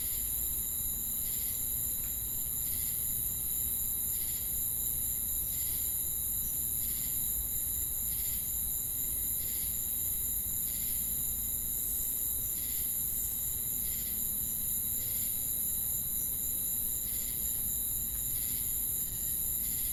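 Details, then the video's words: Chirping crickets heard together with cicadas, a continuous shrill high ringing beneath rhythmic buzzy pulses that come about once every 0.7 seconds at an even pace, over a steady low rumble. "Crickets & Cicadas Chirping Sounds!"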